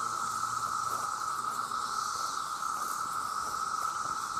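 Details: Male cicadas, millions strong, calling for mates: a loud, flat, continuous drone under a broad hissing shimmer of high buzzing that swells and fades slightly over the few seconds.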